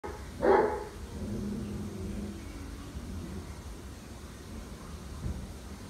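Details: Dog barking at a beetle: one short sharp bark near the start, then a quieter low trailing sound over a steady background hiss.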